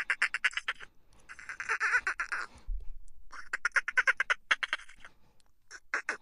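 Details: Laughter-like dolphin chitter: dense bursts of fast, harsh pulses, one with a slurred tone that dips near its end. A brief low thud falls between the bursts, and more short pulse trains follow.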